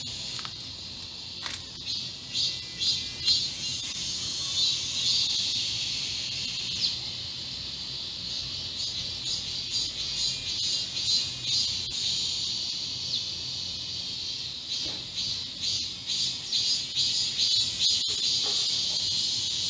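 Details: Cicadas sing in a garden in South Korea on 31 July 2022, during a midsummer heat wave: a dense, shrill chorus of high buzzing that pulses and swells without pause.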